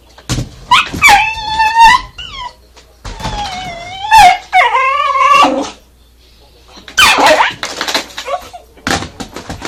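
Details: Kishu dog barking at a vacuum cleaner indoors: high whining yelps with rising and falling pitch, short sharp barks in bursts, and the vacuum's noise underneath.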